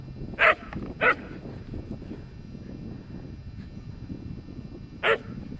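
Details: Excited whippet outdoors in the wind, two quick sharp barks close together, then a pause of about four seconds before one more bark, with wind noise underneath.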